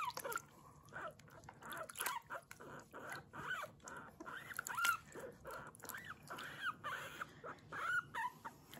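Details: Kurumi, a pet guinea pig, squeaking "puipui" while her body is washed on bath day, no background music; short arched whistled squeaks repeated every second or so, mixed with splashing and rubbing noises.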